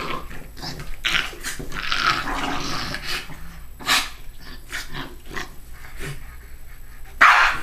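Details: Two dogs play fighting in the morning, one rolling on its back: rough, rasping growls and snarls in uneven bursts, with scuffling noises and a sharper yelp-like sound near the end.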